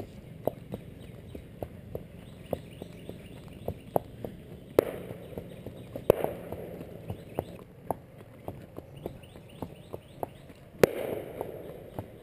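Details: Klein, a Percheron horse, walks calmly and ignores gunfire on the next street. Steady, even hoof clops come roughly twice a second throughout, broken by three sharp, loud gunshot bangs rising well above them.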